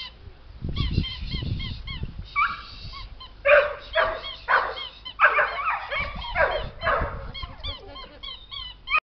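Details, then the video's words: Playing Border Collie puppies yip and squeal in short, sharp, repeated bursts with brief gaps between them, over a low rumble of movement and handling. "Bawiące się szczenięta Border Collie"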